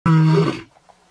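A lion gives one deep, rasping roar that starts abruptly and fades within a second.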